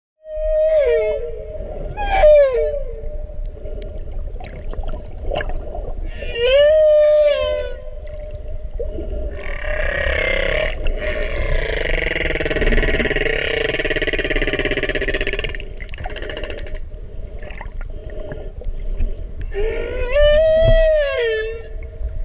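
Humpback whale song of drawn-out moans and whoops that rise and fall, with a rough rasping passage midway.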